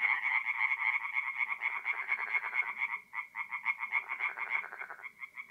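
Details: Tree frogs calling at night from a forest pond in north-east Italy in mid-April: bursts of fast, grating croaks, a brief dip near the middle, then separate rattling pulses resume against a thinner background chorus.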